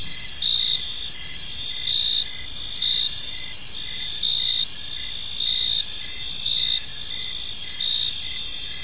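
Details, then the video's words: Park crickets at evening produce bright, high, ringing chirps. Louder bursts arrive about every second or two above a continuous trill, with only faint low background noise. "Cricket Sounds in a Peaceful Park"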